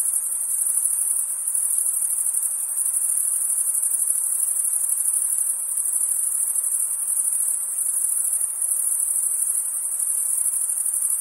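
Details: Crickets calling together on a summer night, producing a constant shrill high-pitched buzz with gentle pulsing in loudness and a quiet hissy background.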